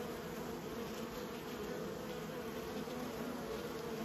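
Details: A constant collective hum of kept bees, steady and low, with small ripples of loudness and a thin high whine running underneath.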